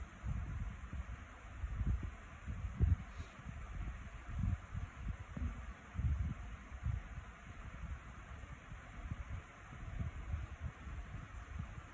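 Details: Low, gusty wind buffeting and rustling with a faint steady high-pitched electronic tone and no animal sounds.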